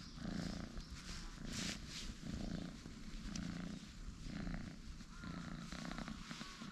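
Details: Two orange tabby cat brothers lounging and stretching on a bench; a low rhythmic purr rises and falls roughly every second beneath a hissy, breezy outdoor background.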